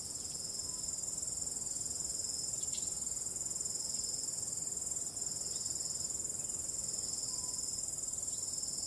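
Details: Night chorus of crickets in calm wind, a continuous bright high buzzing trill sustained throughout at an even level, with faint low rushing wind beneath and a couple of brief soft tonal blips.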